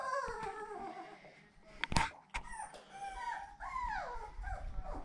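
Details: Seven-week-old puppies of Fancy, indoors while their pen is changed on 10/18/2020, give a run of high, wavering whines, several arching up and sliding down, with a sharp knock mid-clip and soft background noise.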